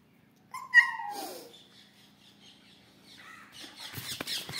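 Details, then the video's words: Female Siberian Husky Kittu, excited at talk of going for a walk, gives a short harmonic howl that slides downward, followed by a fainter rising cry and clattering, rustling noise toward the end. "किट्टू चुपचाप बैठी थी घूमने की बात सुनकर हो गई आउट ऑफ कंट्रोल"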